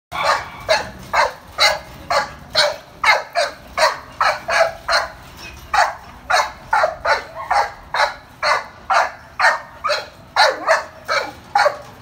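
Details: Rough Collie at a shelter, up for adoption, barks steadily: a loud, sharp run of about two dozen barks, roughly two per second, keeping an even and insistent rhythm throughout.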